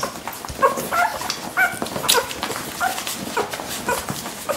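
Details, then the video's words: Lagotto Romagnolo dog at Rittergut in Munich, giving short high whimpering yips in quick, uneven bursts, several thin tonal squeaks between clicking and rustling noises. "Lagotto Romagnolo Hund"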